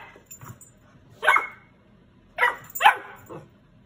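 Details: A female Golden Retriever puppy barks for more food, giving short, sharp, high-pitched barks spaced irregularly about a second apart.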